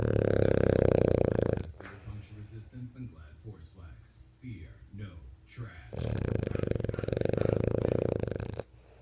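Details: A French Bulldog, apparently dreaming in its sleep, snores in long, rumbling, buzzy drones, with a person talking between the snores.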